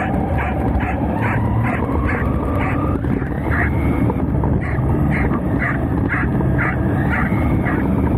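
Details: Pembroke Welsh Corgi Roku barks at a moving Anpanman RC car carrying GoPro and insta360 cameras on a homemade swivel mount. Rapid barks come about three per second over a loud whining motor that rises and falls.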